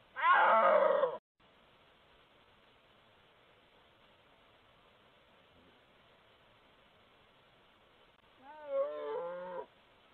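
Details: Snow leopard in Gilgit Baltistan, Pakistan: a loud harsh, raspy call for about a second, then quiet hiss, then a wavering, whining harmonic cry rising and falling near the end.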